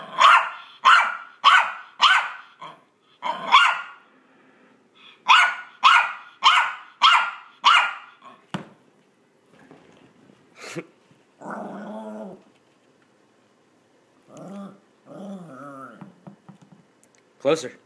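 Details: Maltese dog at play during a game of fetch, giving its 'vicious' noises: two runs of about five sharp, rasping yaps in quick succession, followed by quieter, softer vocal sounds and a final yap.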